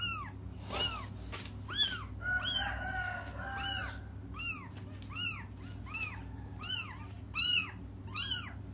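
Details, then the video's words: Kittens waiting for their mother keep crying: a dense string of high, arched meows, some overlapping as several voices call together, repeated roughly every half second for nearly nine seconds. "until their mom comes just stop crying"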